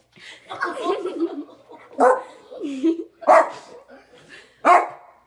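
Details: Small dog indoors barking at a kitten that paws at its tail while it drinks water; a human voice talks at the start, then three sharp, separate barks spaced about a second apart.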